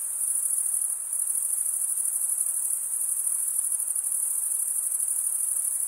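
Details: Summer night crickets in forest, a continuous shrill pulsing trill at very high pitch, even in loudness from start to end, over soft background hiss.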